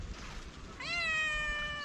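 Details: A single clear meow from a hungry feral cat on a sidewalk begging for food. It rises sharply, then holds a long, slightly falling tone over a low background hiss.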